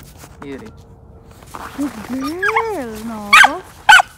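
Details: Female Samoyed puppy, four months old, on a morning leash walk in a snowy park: a long sliding whine that rises and falls, followed by two sharp high barks, with a woman's voice speaking softly nearby.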